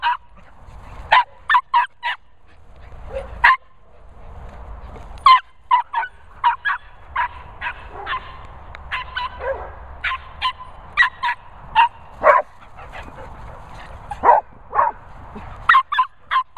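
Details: Border Terrier Nala, known as Noisy Nala, meeting Cocker Spaniels Finlay and Murphy: a long run of sharp, high barks, single or in quick pairs and triplets, with short pauses between bursts, over faint low background rumble.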